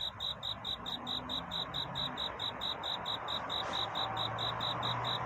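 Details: Crickets singing at night toward dawn, a courtship song to find a mate: steady, high, clean chirping pulses about four per second, with a soft rushing background hiss and faint low hum.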